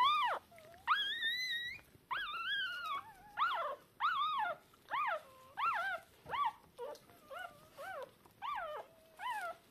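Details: Three newborn Shiba Inu puppies (two female, one male), about three hours old, deaf and blind, call for their mother with thin, high squealing whimpers that rise and fall, one after another; born 19 October 2022.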